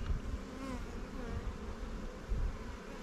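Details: Swarm-caught honey bee colony in a new Langstroth or Warre hive, inspected while being given resources from stronger hives; a dense, even drone of many bees with faint wavering tones above it and low rumbling beneath.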